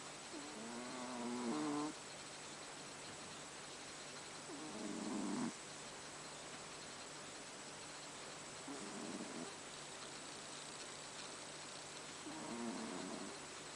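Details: Haru the house cat snores in her sleep in the dark; four rasping, buzzy breaths arrive every three to four seconds, loud at first and softer later, with constant low hiss behind.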